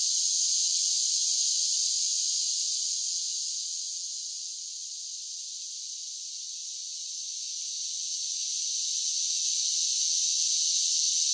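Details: Singing cicadas on a summer day give a dense, high, seamless buzz. It ebbs to a softer level around the middle and rises back to full strength, with no other sounds.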